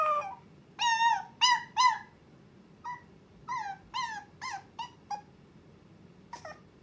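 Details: A young Chihuahua named Miruku, alone at home and wanting her owner, makes her first howls: short, clipped, whimpering notes in quick uneven groups over a steady background hiss.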